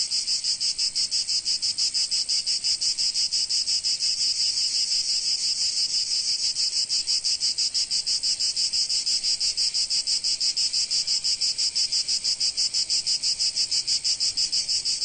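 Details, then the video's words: In sunny Provence, massed cicadas keep up an intense high buzzing drone, pulsing very regularly about three times each second from start to end, with no other noises. "Sounds of Cicadas in Sunny Provence"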